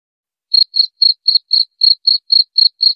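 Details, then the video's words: A cricket, its sound used as a rat repellent, starts after half a second of silence and gives ten short, bright, even chirps at a brisk, steady rhythm of about four per second, with no background noise. "Suara Jangkrik Pengusir Tikus"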